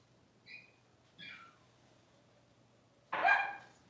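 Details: Cavalier King Charles Spaniel puppy, six weeks old, being dewormed and having its toenails trimmed in a puppy pen. Two thin, high whimpers are followed after a pause by a loud, harsh yelp near the end, over a low background hum.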